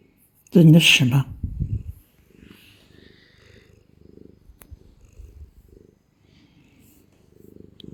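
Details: Domestic cat held in someone's arms, a burst of loud human speech at first, then soft rhythmic purring pulses about four per second, low and breathy, continuing quietly to the end.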